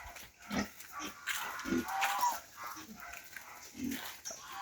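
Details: Native pig eating madre de agua leaves: short low grunts come at about 0.6, 1.7 and 3.9 seconds over steady rustling and chewing noise.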